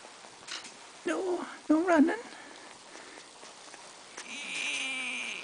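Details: Two-week-old Bull Terrier puppies from a litter, filmed 10 February 2013, give short wavering whimpers that rise and fall, two bursts close together, followed later by a thin sliding whine, over quiet room hiss.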